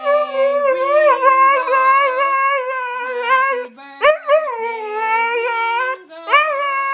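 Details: A one-year-old Siberian Husky howls along to Happy Birthday in long, wavering, rising and falling notes over the tune.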